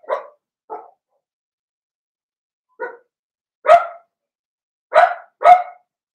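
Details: Young Cavalier King Charles Spaniels, Blenheim pups of a six-puppy litter, barking in their puppy pen: two soft yaps, a pause, then one more and three louder, clipped barks in a rough burst near the end.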